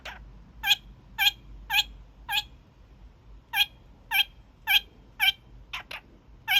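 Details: Young male kakariki kept as a pet, giving its daily evening honks indoors: short harsh nasal honks spanning a wide pitch band, repeated roughly twice a second in two bursts, with a brief pause and a quick double note near the end.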